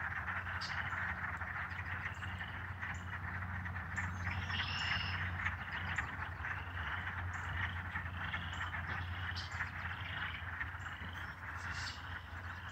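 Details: Many frogs, possibly bullfrogs, chirp together in a dense, loud night chorus at a pond in Michigan in spring, 25 March 2020, their short calls overlapping steadily.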